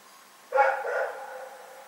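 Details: Dog barking at night, recorded February 27, 2018: one sharp, harmonic bark that fades slowly into a lingering echo.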